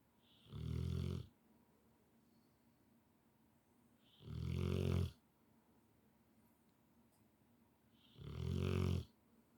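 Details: Rottweiler snoring loudly in deep sleep indoors; three low rumbling snores about every four seconds, each a buzzy, pulsing rasp lasting under a second, with quiet breathing between.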